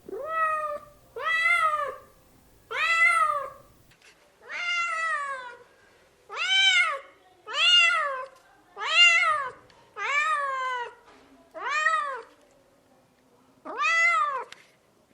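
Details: Kittens and cats meowing indoors, a series of about eleven short arched meows, some brief and others longer and falling, repeated irregularly roughly once a second, with a faint low rumble early on.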